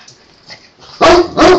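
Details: Great Dane breaking up two male Boston Terriers' play: near-silence, then two sharp loud barks in quick succession at the end.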